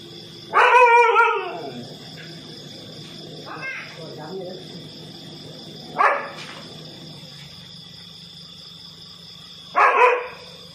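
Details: On CCTV inside a house in Nathawee, Songkhla, Thailand, two dogs gang up on an intruding cobra: one long rough bark burst, then two short sharp barks spaced several seconds apart, with a constant high electrical whine.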